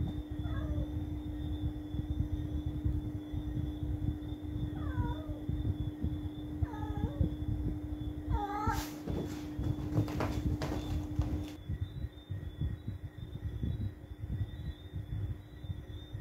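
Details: Cat at night: four short meows, each bending up then down, spaced several seconds apart over a loud, steady low rumble and a constant hum, with a burst of clicking noises midway.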